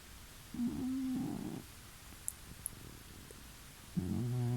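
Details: Domestic cat snoring indoors, heard from the next room about two weeks after moving to a new home; two loud harmonic rasping breaths with a quiet gap between them.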